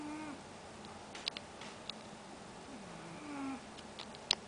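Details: Sleeping house cat on a sofa snoring: two faint, nasal, whistly breaths about three seconds apart, with light clicks and ticks in a quiet room.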